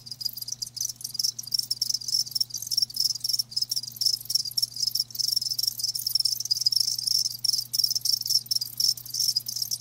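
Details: Live crickets chirping, a dense high-pitched trilling band sustained across the whole stretch with rapid pulsing and brief dips, over a faint steady low hum.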